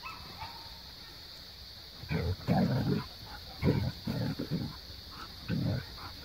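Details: Maya the Siberian husky talks at Jo, her Australian cattle dog companion, to climb down from the play set and play. Short rough, low groaning bursts come in three clusters after a quiet start.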